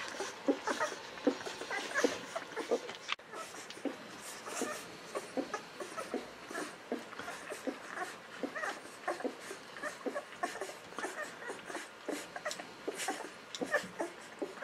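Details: Newborn Golden Retriever puppies, 11 to 13 days old, making soft, short squeaks and whimpers, repeated irregularly throughout against a steady hiss of background noise.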